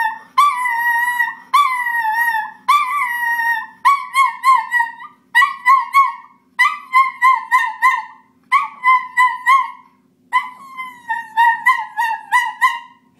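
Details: Schnauzer singing in short, rapid yelping howls, bursts of quick wavering notes repeated in clusters with brief pauses, higher pitched than drawn-out howling.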